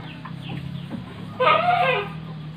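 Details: Brief wavering bleat late in the clip from an Etawa goat kept in a pen in Panggul, Trenggalek, Indonesia, alongside pregnant does and a young buck. Low steady hum and faint chirps fill the background.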